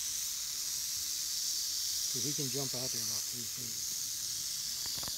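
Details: A rattlesnake in dry Bald Eagle State Forest in early fall rattles steadily, dry and high without a break, after a man steps close; it curls up ready to strike while he speaks briefly.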